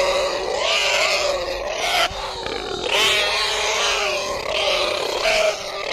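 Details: Pig giving continuous piercing squeals and screams, wavering in pitch with brief dips, steady and loud throughout.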